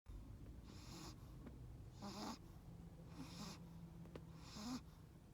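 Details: Sleeping Chihuahua wearing sunglasses snores in a few irregular breathy rasps, each roughly a second long with a faint squeaky edge, over a steady low hum.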